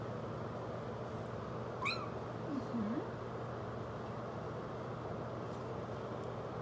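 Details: A Maine Coon kitten gives one high, rising meow over a steady rush of running water during her first bath on 22 January 2018.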